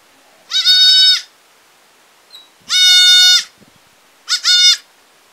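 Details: Village goat bleating loudly three times, each call drawn out, strongly harmonic and slightly wavering, the last one shorter and broken, with brief pauses between calls and no other clear sounds.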